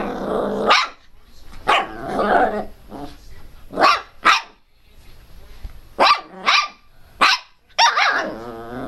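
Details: Pinscher called Teco barking loudly and fiercely: about nine sharp, raspy barks in uneven bursts, some doubled in quick pairs, with short gaps between volleys and little other sound.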